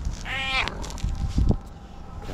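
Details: A friendly female tuxedo cat with no tail starts meowing loudly at the sight of her person. One clear, arching meow sounds early, followed by thumps and shuffling noises.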